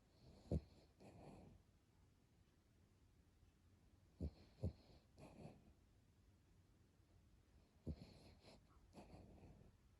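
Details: Brooklyn, an overweight pet dog, snoring while asleep indoors, a loud human-like snore. Rasping, wheezy snore bursts come in pairs roughly every three to four seconds, each sharp snort followed by a softer rattling breath, in a quiet small room.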